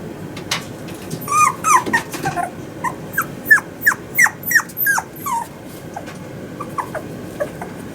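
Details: Male Toy Poodle puppy born 18 August 2019, kept at a pet shop in Yokosuka, Japan. A burst of shrill, falling whines and yips comes about three each second, then fades to faint occasional squeaks.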